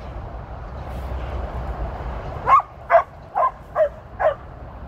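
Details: Female Border Collie named Tir, on her 13th birthday, 23 February 2023, during her first run with sheep: after a quiet start, five sharp barks come in the last two and a half seconds over a low steady rumble.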